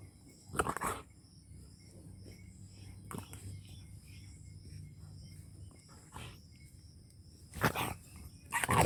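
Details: Dog in a rural Punjab village, Pakistan, barking angrily: a few short, harsh, broadband barks spaced several seconds apart, with a low steady hum and quiet background noise between them.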